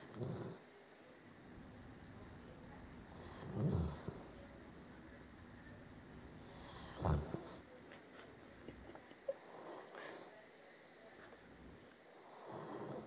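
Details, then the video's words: Sleeping pet dog snoring, now quieter and less enthusiastic than earlier: soft, faint snorting breaths come roughly every three seconds against a quiet indoor background. "My dog snores!"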